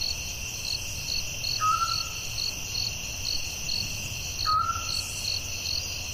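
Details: A dense cricket chorus at night in the forest, an unbroken high trill with evenly pulsed beats, and two short, slightly falling tonal whistles about three seconds apart.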